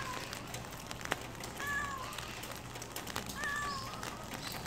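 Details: Calico street cat on a rainy spring day: two clear, drawn-out meows about one and a half seconds apart, each bending downward in pitch, heard over continuous rain hiss.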